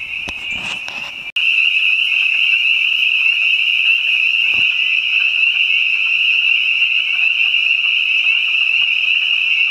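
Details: Spring peepers and other frogs singing in spring behind a house: a dense, steady chorus of high shrill peeps forming a continuous ringing wall of sound, after a brief quieter, mixed opening that cuts abruptly into the full chorus.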